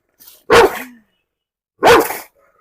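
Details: German Shepherd at a home in Perumbavoor, let off its leash and provoked in a dog challenge to bite a stranger. Two deep, harsh barks about a second apart, each short and explosive, with a brief quiet gap between.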